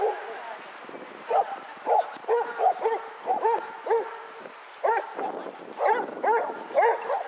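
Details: Basset Hounds, 22 of them out on a walk round Hazlehead Park, Aberdeen, Scotland, on 2 February 2014, giving short tonal bays with ringing harmonics, irregular and overlapping, about one a second, over a low outdoor murmur.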